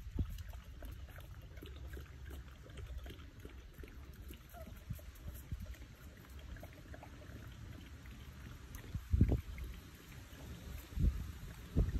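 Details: Steady low rumbling noise with handling bumps and a few sharp knocks near the end, with no clear animal calls.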